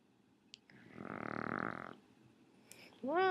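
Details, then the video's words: A single rough, rattling snore of about a second from Raleigh, a Shih Tzu, followed by a brief rising tonal sound at the very end. "Cute Shih Tzu Snoring"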